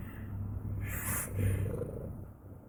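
A domestic cat purrs in a low, steady, vibrating rumble with a soft breathy rise midway.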